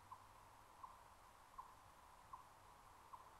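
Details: In early fall in the Great Smoky Mountains, an Eastern chipmunk gives faint, low, hollow clucks about every three-quarters of a second, warning of a Cooper's hawk bathing in a spring-fed stream, over a constant soft hiss.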